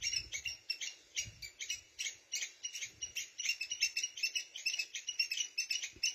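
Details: Red ants haul food and eggs from their nest as a squirrel keeps up a steady stream of shrill, clipped squeaks, several each second, with a few soft low thumps early on.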